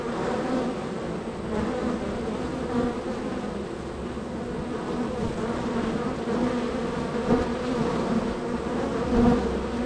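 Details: Honey bee hive bustling with activity, bees entering and departing; a constant buzzing drone with short louder whines of bees flying near, strongest in the final seconds.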